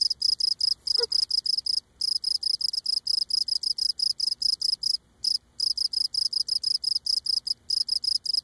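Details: Cape Cod cricket filmed close up while singing, legs rubbing on abdomen; rapid, regular high-pitched chirps in long runs with a few brief breaks and a faint short knock near the start.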